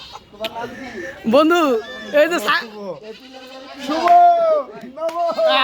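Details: Goat kept at home in a village, bleating: several wavering, nasal bleats with arched, stacked harmonics, some rising then falling, mixed with people talking close by.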